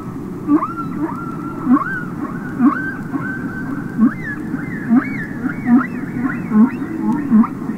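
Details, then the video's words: Humpback whales singing underwater on a published record: quick series of short upswept chirps and squeaks roughly every second, with faint higher whistled phrases above and a continuous background hiss. "Listen to Songs Of The Humpback Whale"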